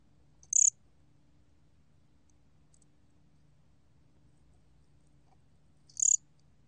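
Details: A 곰귀뚜라미 cricket from Korea sounding two sharp, high, buzzy chirps about five and a half seconds apart, with a faint softer tick between and a low hum beneath.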